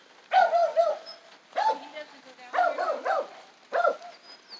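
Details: Jack Russell Beagle dog on its first time at a dog run, unable to figure it out; four loud, harmonic, yelping barks come in separate bursts about a second apart, with a man's voice calling nearby.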